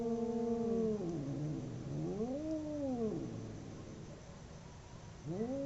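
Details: Two domestic cats fighting, drawn-out wavering howls sliding down then arching up and falling, one long moan after another, a fresh rising wail starting at the end over low background rumble.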